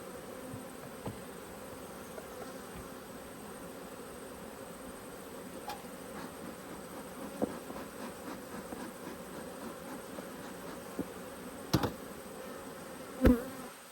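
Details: Honey bees from a hive annoyed at being inspected by a beekeeper, Australia: a steady low droning hum throughout with a few sharp knocks and clicks near the end.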